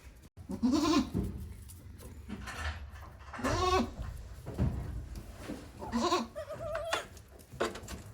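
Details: One-day-old goat kids at a handmade goat farm in Japan, recorded 17 April 2024; short quavering bleats with a wavering tremolo, several calls spaced across the clip amid soft barn rustling and handling noise.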